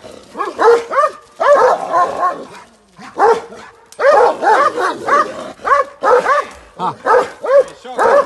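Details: Barking Kangal dog at a guest house in Bashaj Village: clustered, arched harmonic barks in fast runs broken by a brief lull, ending in steady repeated barks.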